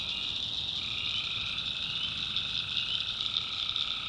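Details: Night chorus of tree frogs from a North Carolina backwoods swamp: continuous shrill calling from many frogs, with a lower voice joining after the first second and holding steady.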